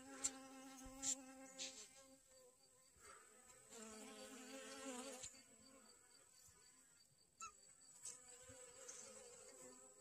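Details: Honey bees foraging for pollen on sunflowers in a garden on August 25, 2021; several overlapping buzzing hums shift in pitch as bees move between flowers, with soft taps and a steady high faint hiss behind.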